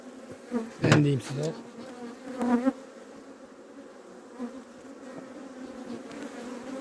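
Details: A steady, low hum of western honey bees during a spring inspection of a fast-developing hive, broken by a man's voice.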